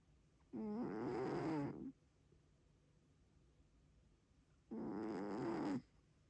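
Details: Domestic cat snoring loudly: two long, rough, buzzy breaths of about a second and a half each, separated by a few seconds of quiet room noise.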